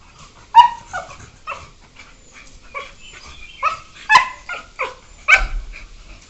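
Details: Beagles at play, aged one year four months, trade squeaky yelps and whimpering yips, some bending downward in pitch, spaced irregularly across a few seconds.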